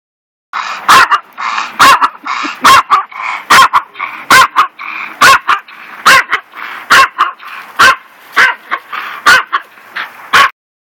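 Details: A neighbour's small Miniature Pinscher barking constantly while other dogs ignore him. There are about fourteen sharp, high, yappy barks in ten seconds at a fairly steady pace, with short whiny sounds between some of them.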